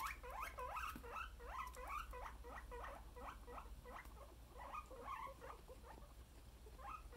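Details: Contented pet guinea pigs make rhythmic squeaky chirps, roughly three per second. Each short note bends up and then down, and the sequence stays steady with a few brief gaps near the end.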